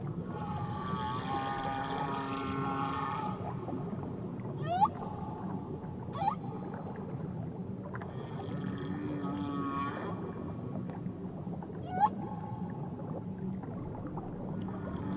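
Whale song with sweeping upward whistles, low moans and a wavering harmonic cry over a steady underwater hiss.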